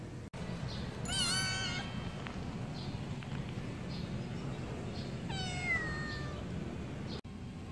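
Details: Stray kittens meowing outdoors: two bursts of high, harmonic-rich cries, the first a cluster of short meows, the second a longer falling wail, over steady low background rumble.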